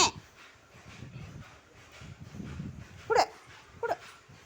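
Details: Playful pet Labrador Retriever, praised by its owner in Tamil, lets out two quick, clipped barks less than a second apart near the end, after soft low murmurs and room noise.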